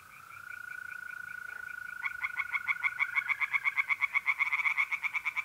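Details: Pond tree frogs on an April night in north-east Italy: a few spaced croaks build after two seconds into a quick, loud series of nasal pulses, about four per second, while mole crickets trill steadily.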